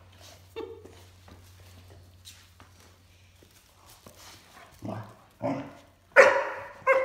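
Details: A 14-week-old male Great Dane puppy gives rough, throaty growls in short bursts while playing tug of war indoors with his adult sister in an art studio.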